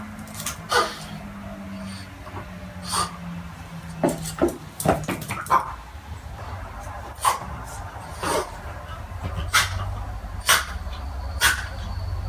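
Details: French Bulldog puppy named Pixel, indoors with his unamused feline housemate Czika, bouncing around and offering his favourite toy to get her to play; short sharp yips and faint whimpers come in irregular bursts about once a second over soft rustling and low hum.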